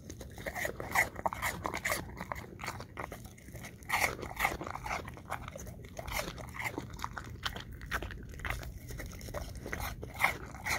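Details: Apple chunks crunched by an English Cream Golden Retriever: sharp, bright bite snaps come several per second, louder clusters near four and ten seconds, softer munching between, and a faint low hum underneath.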